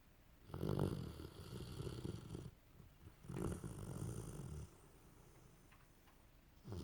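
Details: Sleeping dog snoring: two long, low rumbling snores of about two seconds each, separated by a quiet pause, with the start of a third breath at the very end.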